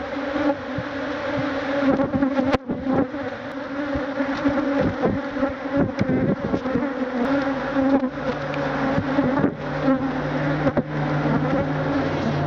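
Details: Thousands of Africanized honey bees, called killer bees, attack a man trying to remove their hive. A dense, steady droning buzz fills the recording, with low humming bands, sharp knocks and thumps, and faint music underneath.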